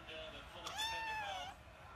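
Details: Domestic cat giving a single drawn-out meow lasting about a second, smoothly rising then falling in pitch with rich harmonics, over a faint background hiss.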